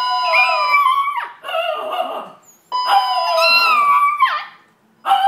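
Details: Indoors in a condo, two pet Chihuahuas sing along to a fire alarm, giving drawn-out, quavering howls that dip at their ends, in two main bouts over the alarm's constant shrill tone.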